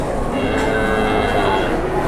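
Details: A big, super jumbo fat cow, Indonesian livestock, lows in a single sustained, even moo of about two seconds, rich and nasal, with faint voices in the background.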